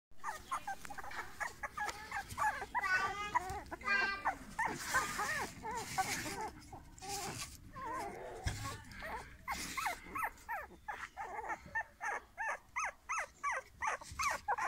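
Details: Several golden English Cocker Spaniel puppies give thin, high whines and squeaky yelps that rise and fall and overlap. Toward the end the cries become short, clipped bursts about once a second, with faint voices behind.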